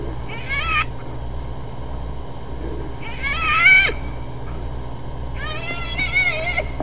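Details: Hyena vocalizing: three separate wavering, harmonic-rich calls spaced about two and a half seconds apart, each under a second long and quavering up and down, over a steady low background hum.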